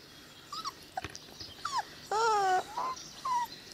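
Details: Cane Corso puppies 22 days old, already wormed for the first time and chipped, give high whining whimpers, short rising and falling squeaks then a louder drawn-out wail near the middle, over a quiet background.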